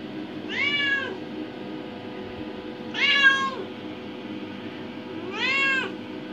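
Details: An adopted indoor cat, five years and eight months old, meows while exploring the bathroom by the bathtub; three clear arched meows about two and a half seconds apart, each rising then falling, over a low steady hum.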